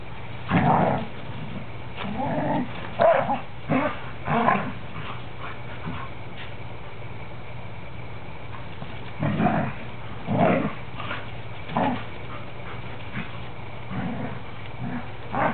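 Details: Three standard poodles, a parti, a black and a cream, wrestling in play; deep, gravelly growls come in repeated bursts every second or two, mixed with snorts and occasional short yips, with background music and a person's voice.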